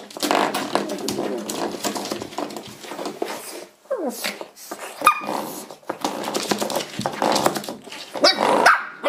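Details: Misty, a Shih Tzu puppy, tussling with a door stop indoors: continuous rough growling and rattling scuffles, with a twanging spring-like sound and a couple of short high yips near the end.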